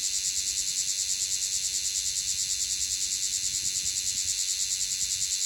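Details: Bear cicada (Cryptotympana facialis) in Okinawa, Japan, singing hard, recorded close up: a loud, shrill, dense buzz pulsing rapidly about three times per second, steady and unbroken throughout.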